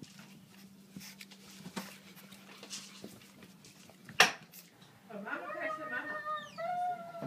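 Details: French bulldog Pororo, often left home alone during work hours, greeting on the owner's return indoors: faint rustling and a sharp knock, then a run of high, wavering whimpers and whines that rise and slide down in pitch.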